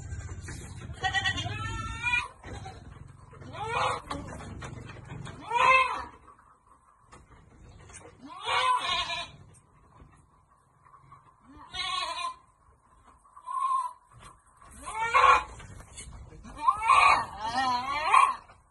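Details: Goats at Amang Victorio Goat farm being given vitamins: loud wavering bleats come in bursts every two to three seconds, several animals calling in turn, with a faint steady hum behind.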